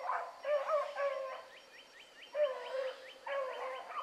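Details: Running a rabbit in the morning, hound pups let out drawn-out, ringing bays with bright overtones, in three separate bouts over a few seconds, heard across open ground.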